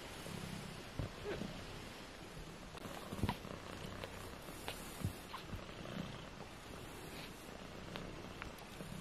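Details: Purring from 18-day-old British Shorthair kittens in a litter of four: a steady low rumbling hum under soft rustling and occasional small clicks and taps.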